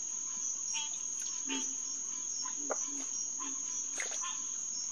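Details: Green tree frog chorus calls at the Headquarters Pond, SMNWR, around 9:10 pm on June 2, 2021. Scattered honking notes sound sparsely, each a second or so apart, beneath a loud, steady high insect drone.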